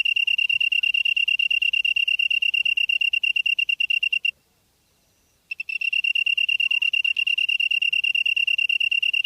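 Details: Insect chirping at 7:59 PM in September 2016, Byeollae-myeon, Namyangju-si, Gyeonggi-do, Korea; a high pulsed trill stops for about a second of silence midway, then resumes at the same fast, even rhythm.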